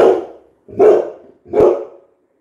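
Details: Coco, a Labrador Retriever, gives three loud, full barks in quick succession. Each bark is roughly eight-tenths of a second apart and fades before the next, with nothing else heard in between.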